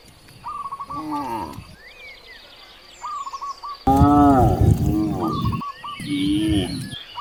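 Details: Hungry cows in a village by vast rice fields give long, deep, rising-and-falling moos while small birds chirp in quick repeated bursts.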